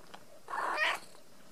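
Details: Ragdoll kitten raised in a home cattery in central Kansas, not caged, gives a single short meow lasting about half a second, bright and slightly rising at its end, in a quiet room.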